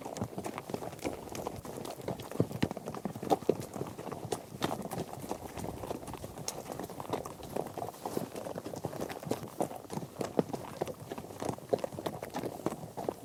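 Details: Trekking horse herd crossing grass, dirt and gravel, many hooves pounding at once into a steady rumbling patter of crowded, overlapping strikes lasting throughout.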